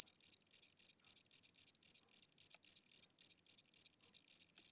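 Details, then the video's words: Old, weak-winged cricket chirping at night inside a house, slow tempo; high, ringing pulses repeated about three to four times a second, evenly spaced, with no other sounds. "Cricket Chirping Sounds: Low Battery"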